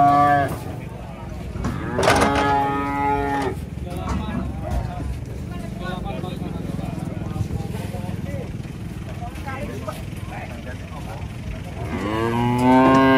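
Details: Cattle unloading from a truck: a short moo, a louder harmonic moo after two seconds, and another rising moo near the end, with people talking, vehicle rumble and background music between calls.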